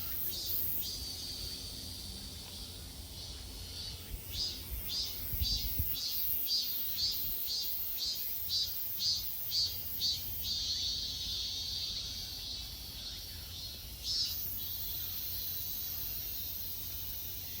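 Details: A cicada's high, buzzing summer song swells in rhythmic pulses, then settles into a steady drone, in forest on Mt. Iseong, Hanam, Korea.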